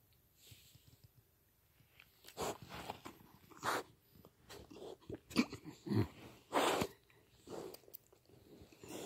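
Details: A four-month-old pet pig indoors, giving a run of irregular broadband snorts and snuffles, some sharp and short, others longer breathy bursts, scattered over several seconds with quiet gaps between.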